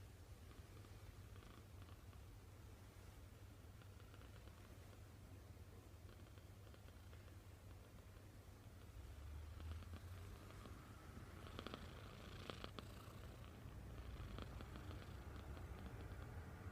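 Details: Snores of a kitten asleep in a human-like pose, a soft continuous low rumble that grows slightly louder after the midpoint, no other clear sounds.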